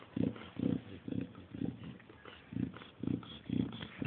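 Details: Chow Chow dog grunting like a pig: low, rough, snorting bursts repeated about twice a second in a steady run, with short pauses between groups.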